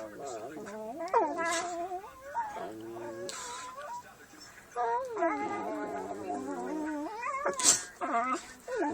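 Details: Dogs at play give funny, bending whine-like cries that rise and fall in pitch in quick runs, with brief breathy bursts between them and faint human voices.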